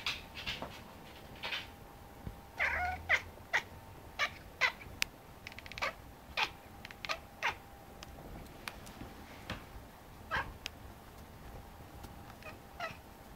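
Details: Whining cat: a brief, strained whining meow near the three-second mark stands out from a busy background of sharp clicks and taps, with a steady faint hum throughout.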